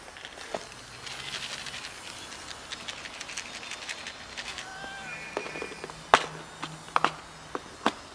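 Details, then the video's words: Hungry cats asking to be fed; a single short arched meow rises and falls midway, surrounded by sharp clicks, taps and scuffing footsteps outdoors. "Feed us, please... Cats tell me"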